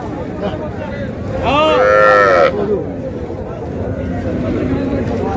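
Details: Sahiwal cows with calves at the Raniganj market, Dinajpur, Bangladesh, on a Thursday morning after sudden rain: one loud, rich moo lasting about a second, set against continuous market chatter.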